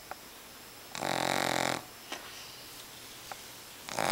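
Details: Sleeping Boston Terrier puppy snoring indoors with its eyes open; one loud, rasping, buzzy snore lasts under a second, followed by faint clicks and quiet breathing, then another harsh snore begins at the end.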